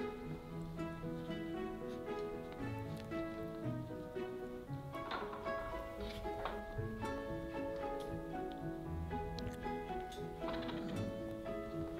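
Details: Soft guitar-led background music plays throughout, with light tapping and faint voices, and no animal voice.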